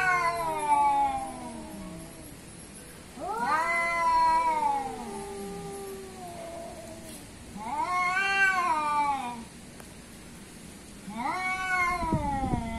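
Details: Cats billed as an Asian cat against an African cat in a fight: long harmonic wails that swell upward and then slide down, four drawn-out yowls in about thirteen seconds, separated by brief quieter gaps.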